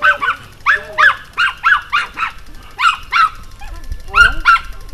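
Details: Pomeranian jumping and barking, filmed June 2012 in the evening: rapid, high-pitched yapping in tight pairs and triplets, with a few short whining notes between barks.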